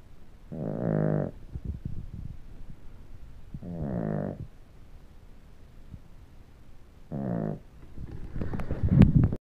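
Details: Sleeping dog snoring; three rough, buzzy snore breaths about three seconds apart, with quieter breathing between and some rustling and clicks at the end.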